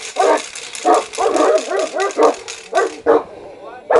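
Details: Aggressive Saint Bernard and Caucasian dogs barking: short, harsh, harmonic barks in quick irregular bursts, about a dozen in four seconds, the last ones spaced wider apart.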